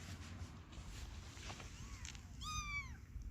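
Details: Motherless kitten giving a faint early cry, then one short, clear meow that rises slightly and falls away near the end. A steady low background hum runs underneath.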